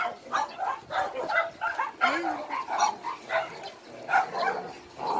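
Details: Rescued dogs at Hanna's shelter for abandoned dogs in Daegu, South Korea, keep up a continuous din of overlapping barks and yips, loud bursts tumbling over one another without pause.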